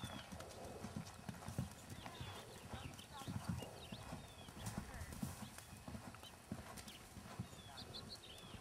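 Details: Hooves of Jerry, a registered six-year-old keg-shod Tennessee Walking Horse, natural moving and head shaking, thump dull and steady underfoot while small birds chirp and voices talk in the background.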